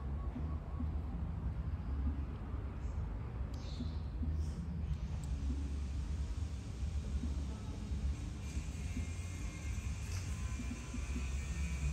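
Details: Steady low rumble of road traffic outdoors in Buriram province, Thailand, with a few faint, higher scraping and voice-like sounds and no animal calls.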